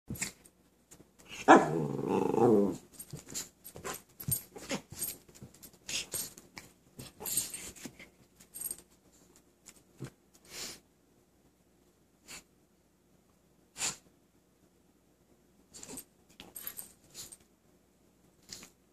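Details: Miko and Sam, a chihuahua and a mini husky, playing together indoors in a living room: one loud rough growling burst early on, then scattered scuffling, thumps and brief small noises with quiet gaps.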